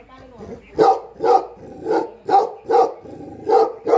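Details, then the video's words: Guarding Tibetan Mastiff (Bhote Kukur) on a farm in Nepal, protecting the home without its owner, barking steadily in loud, resonant single barks about every half second after a quiet start. "घर र फार्ममा मालिक नहुदाको रक्षक || गोठालो भोटे कुकुर || Bhote Kukur || Tibetan Mastiff In Nepal"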